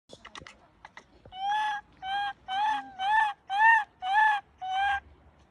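A young monkey gives a series of clear, harmonic, slightly nasal calls in quick succession.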